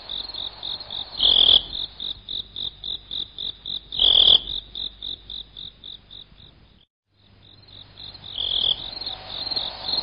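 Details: Cricket sound intended to drive off rats: rapid, regular high chirps with two louder, buzzier bursts, the pulses fading into a short silence before the shrill chirping resumes and builds again.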